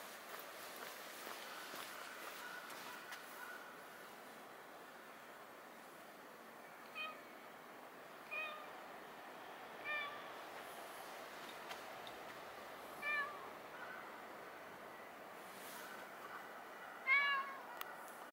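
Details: Cat in Nippon Maru Park, recorded early morning on 30 December 2020; several short, faint meows with rising-falling harmonics at irregular intervals over steady low background hum.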